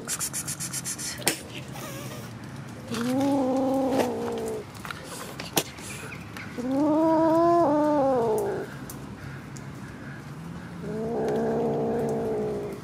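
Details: Kitten crying with three long, loud meows about three seconds apart, each held steady and slightly arched. Light rattling and knocking sounds at the start.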